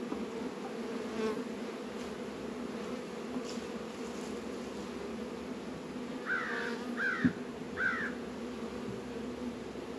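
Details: Hive of honey bees working during a warm February spell, 72 degrees, northern Kentucky apiary; constant low buzzing hum, while three cawing bird calls sound near the end.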